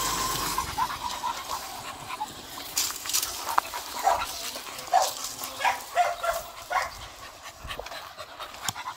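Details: Beagle out on a morning walk: soft, irregular panting with short breathy bursts and scattered rustles over a quiet outdoor background.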